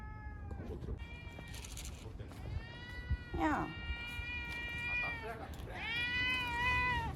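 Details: Frightened cat crying loudly while caught and sheltered in a bathroom ahead of Typhoon No. 10 in Okinawa, September 2020; long wavering harmonic meows, several in a row, with a woman speaking and small room echo.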